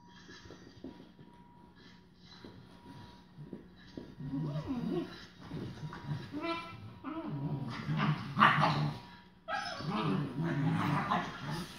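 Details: Rhodesian Ridgeback foster puppies on their second day give short whimpers and yelps that grow louder and denser toward the end, while a man speaks to them.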